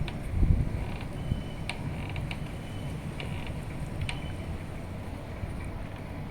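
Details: Steady low wind rumble outdoors, with faint mechanical clicks and taps throughout.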